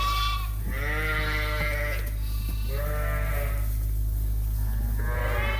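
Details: Suffolk lambs bleating in a farm barn after escaping through an open gate and mixing into one big group; long, wavering, harmonic bleats, about three over five seconds, over a steady low barn hum.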